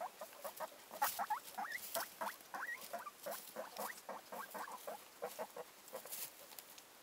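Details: Guinea pigs kept by a breeder of cuy and dwarf rabbits, squeaking rapidly, about three or four notes a second, some sliding upward sharply, over steady rustling and clicking from movement.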